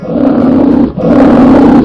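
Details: Polar bear growling in two long, rough, low roaring bursts, the first about a second long, a brief pause, then a second sustained growl.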